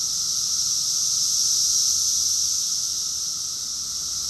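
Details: Chorus of cicadas in summer at Rockville, Maryland, USA, recorded June 2021: a loud, seamless high-pitched whirring that peaks briefly and then fades a little, accompanied by a faint steady hum lower down.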